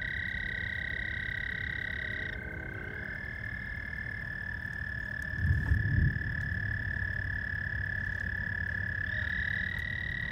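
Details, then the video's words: Frogs calling at night at George Lake, Whiting, Indiana, on 15 May 2020: overlapping long, steady, high trills, several callers at slightly different pitches. Lower stacked buzzy calls join in, and a low rumbling thump comes midway. "George Lake- Whiting, Indiana. Night sounds. Frogs"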